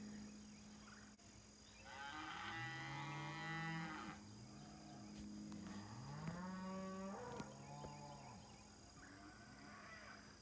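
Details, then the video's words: Several cattle mooing at a ranch in the morning, long wavering bellows that bend up and down in pitch, one after another, with a constant low hum in the background. "Morning wake up sounds (from cows)"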